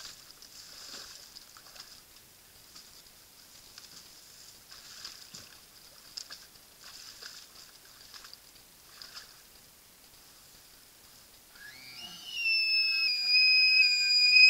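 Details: Bull elk at a wallow in September, filmed by a Browning Strike Force Series Gen 5 trail camera: after soft splashing and rustling, a loud, high, whistled bugle rises and holds with bright overtones.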